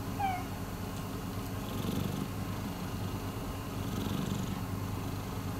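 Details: Soft purr from Miiko, a rescued domestic cat, a low rumble swelling twice with breaths, opened by a couple of short falling whistle-like notes at the very start.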